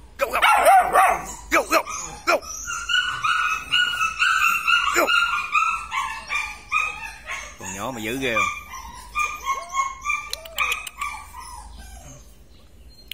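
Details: Purebred large-line Rottweiler dogs; high, harmonic whines and yelps, several drawn out for over a second, overlapping in a busy chorus that fades toward the end.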